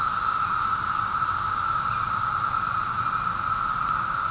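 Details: Cicadas recorded on an afternoon of May 23, 2013, give a steady, unbroken high-pitched whine that drones without pause throughout, over a faint low rumbling background.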